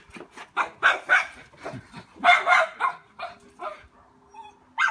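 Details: Miniature Schnauzer puppy barking in a backyard at a trespassing cat, guarding its territory; rapid sharp barks in quick bursts, about four per second at peak, with pauses and a faint steady hum underneath.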